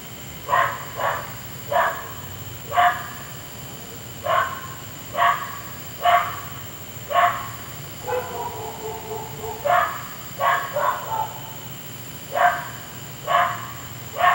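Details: At night a neighbour's dog barks on and on, keeping people awake; a long run of abrupt barks roughly once a second, with one drawn-out, wavering bark-whine midway, against a constant faint background hum.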